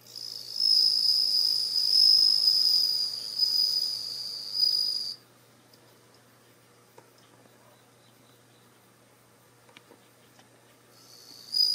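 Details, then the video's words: A captive bell cricket in a group of about ten, only one female, sings a clear, high, ringing trill in repeated bursts in early September as autumn deepens, then falls silent. "スズムシが鳴いてます"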